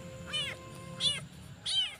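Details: Newborn abandoned kitten crying all night for its mother, trembling; three high, thin meows, each rising then falling, spaced about 0.7 seconds apart over a steady faint background hum.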